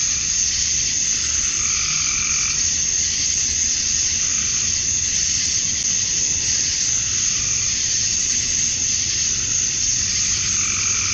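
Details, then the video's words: Male cicadas calling to attract females on a Georgia, USA summer evening at dusk: an unbroken piercing hiss throughout, joined by softer, lower wavering trills that come and go. "Cicadas at Dusk, Summer Night"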